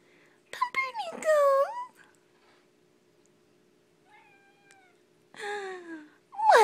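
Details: Kittens at play indoors: several rising-then-falling meows in a quick cluster early on, a softer thin mew midway, then a longer descending meow near the end, with a steady background hum.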